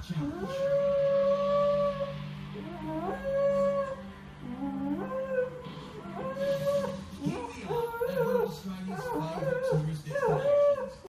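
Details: Poodle howling: long sustained wavering howls repeated in phrases, with a steady low drone and faint background noise underneath throughout.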